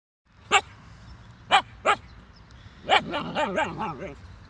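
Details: Young Siberian Husky puppy barking at sheep: three sharp, separate barks, then a run of wavering, yodel-like whining notes rising and falling together in quick succession.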